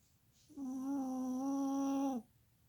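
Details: Chihuahua Molly Marie snoring in her sleep: one even, droning nasal tone lasting about a second and a half, sagging slightly in pitch as it ends, in a quiet indoor room.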